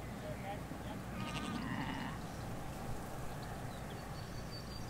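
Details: Sheep, ewes with their lambs, in a field in the Hampshire countryside, recorded by a hedge away from a road: a single wavering bleat about a second long, rich in overtones, over steady low rumble with faint bird chirps near the end.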